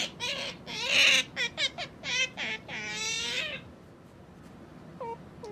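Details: Domestic otter chirping rapidly indoors: a quick burst of shrill, wavering squeaks, then a longer squeal, fading to near silence with two faint chirps at the end.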